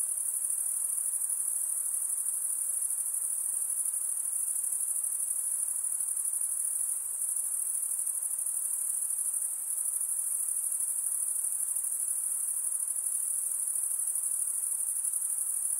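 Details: Night insects at night, a dense unbroken high-pitched shrill trilling that holds steady at one very high pitch throughout, with a faint hiss of lower background noise beneath and no other clear sounds.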